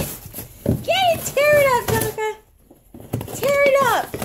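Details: Tonka, an Alaskan Malamute, indoors opening his March birthday BarkBox, gives drawn-out arching woo-like vocal notes, three rising-then-falling harmonic calls with a short pause before the last, over light rustling.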